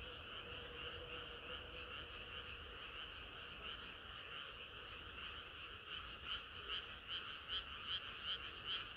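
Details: Frogs in a summer-night chorus, a steady croaking background of many callers; a nearer frog joins near the end with sharp croaks repeated about every half second.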